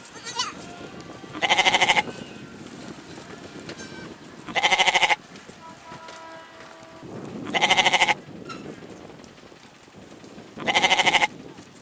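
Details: Goat giving four loud, tremulous bleats spaced about three seconds apart, each a pulsing nasal cry, with soft background rustle and faint tones between calls.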